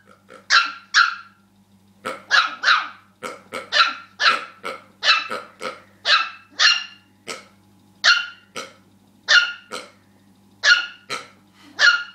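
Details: Dog named Rookie, worked up over a pig he dislikes, lets out a long run of rapid high-pitched yaps, mostly in pairs and triplets about every half second, with a constant low electrical hum behind.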